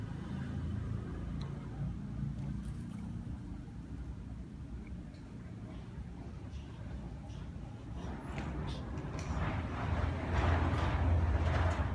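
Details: Low traffic rumble with passing vehicles and faint voices growing louder toward the end; no animal calls.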